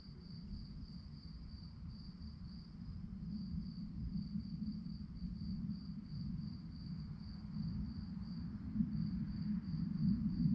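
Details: Crickets chirping at night, high pulsed chirps repeating about three times a second in a steady beat, over a low rumble that grows louder toward the end.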